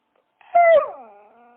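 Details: Dog letting out one short, high whine that starts loud and slides gently downward into a softer, fading moan.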